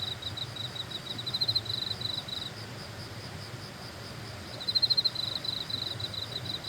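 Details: Grass insects on Suraksan mountain in South Korea give a high, rapidly pulsed, ticking trill. One burst runs about two and a half seconds, falls silent, then a second similar burst follows. A soft low hum lies underneath.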